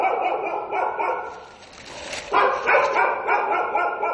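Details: Daytime stray dog giving quick repeated barks, a short run of yaps, a brief lull, then a louder burst of closely spaced barks.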